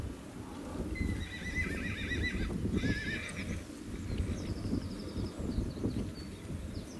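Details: Wild horses in the Oostvaardersplassen nature reserve, Netherlands, as a jealous mare bites a mating male for attention. A loud, wavering, tremulous whinny runs about two seconds, followed by a fainter high whinny, over steady low wind rumble.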